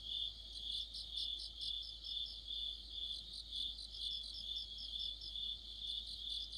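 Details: Autumn crickets in chorus, several high trilling voices overlapping into a dense shimmering pulse with a beat of about two per second and no other sounds.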